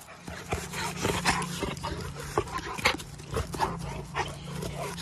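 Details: Black American Labrador Retriever giving a run of short, sharp barks and vocal bursts spaced through five seconds, over a steady low engine-like hum.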